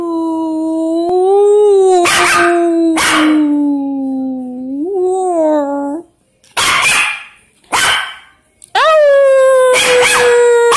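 A small Shih Tzu-Pekingese mix dog gives a long, slowly falling howl broken by sharp barks.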